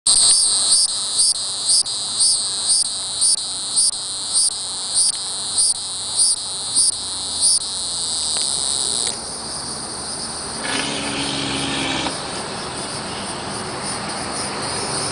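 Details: Hieroglyphic cicada (Neocicada hieroglyphica hieroglyphica) calling, a high, rasping call in short pulsed bursts, about two each second.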